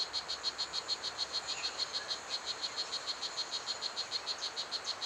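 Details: Tiny strawberry poison dart frog, the loudest of the garden's dart frogs, calling at Pierella Ecological Garden. Crisp, evenly spaced clicking chirps repeat about three per second against a soft insect hum.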